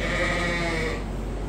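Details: Farm sheep, a ram visiting on a Suffolk and Poll Dorset sheep farm, gives one steady, nasal bleat lasting about a second, then fading into low background rumble.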